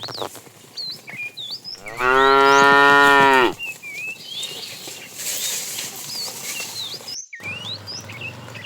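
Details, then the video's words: A fat cow calls the female as a tame herd is driven in the afternoon: one loud, steady harmonic moo of about one and a half seconds amid continuous high, chirping bird calls. "The funny sound of a fat cow calling the female"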